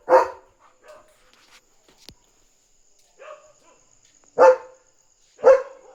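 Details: At night a German Shepherd defends its territory, barking to alert that a dog is outside: one loud bark, scattered softer woofs and a click, then two strong barks about a second apart.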